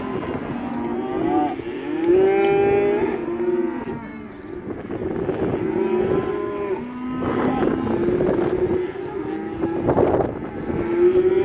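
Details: A herd of 67 black Angus bull calves, around 180–190 kg each, lowing in chorus; long buzzy moos overlap, several voices pitched differently, some bending upward, with short gaps between bursts.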